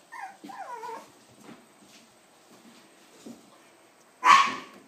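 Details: Seven-week-old puppies whine in quick wavering high-pitched notes for about a second, then fall mostly quiet with faint rustling before a sudden loud noisy yelp near the end.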